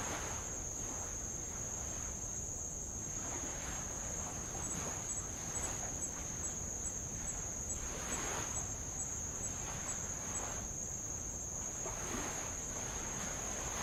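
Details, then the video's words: Insect chorus on Avalau, Tonga, by old lava at the water's edge: a constant piercing high trill with faint rapid ticks above, while gentle waves swell and retreat in repeated hissing washes. "sound of light Waves on old lava and Insects"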